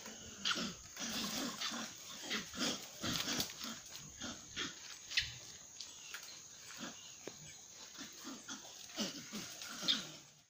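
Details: L'Hoest's monkeys in Bwindi Impenetrable Forest, Uganda, give short, rough grunts and chirps in quick irregular bursts over a steady insect hum.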